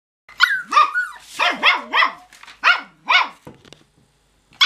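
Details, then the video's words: Cocker Spaniel puppies, not yet ready for bed, giving a run of high, yappy barks with rising-falling pitch, about six sharp yelps in quick succession, some overlapping, in a quiet indoor setting. "Cocker Puppies Not Yet Ready for Bed"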